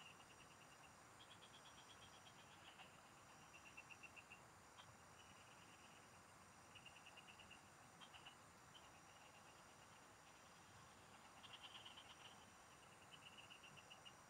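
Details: A chorus of frogs in the fields, captured while fishing: many overlapping short trains of rapid pulsed notes, some louder bursts, repeated throughout over a steady high-pitched hum.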